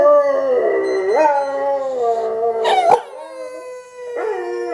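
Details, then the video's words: A Boxer dog howls back at YouTube videos in long, wavering tones that slide down and then rise again. "Pixie The Boxer Dog - Howling back at YouTube videos"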